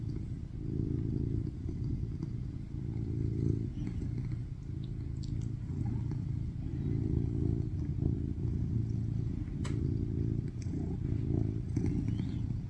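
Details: A rescued adult male tuxedo cat, born in 2019, purrs loudly and steadily on a lap while kneading, a deep continuous rumble swelling and easing with each breath; filmed in August 2023.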